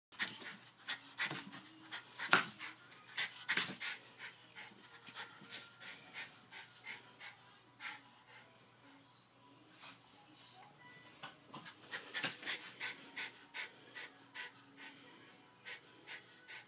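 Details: Domestic dog panting after exercise indoors, able to jump onto the couch but not the bed; quick irregular breathy huffs with louder bursts near the start and around twelve seconds.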